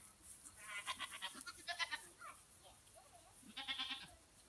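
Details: Goats being played with by a girl, bleating in a short series: two quavering, vibrato-rich bleats close together, a pause, then a third trembling bleat, with soft scuffling sounds between them.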